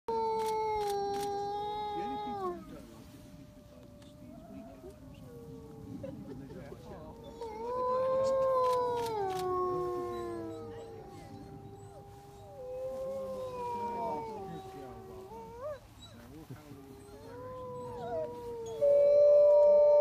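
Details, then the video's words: Wolves howling in Reading, UK: several long, drawn-out tonal howls overlap throughout, some holding steady while others slide up and down in pitch, forming a layered chorus, with a few sharp clicks near the start and middle. "Wolfs howling"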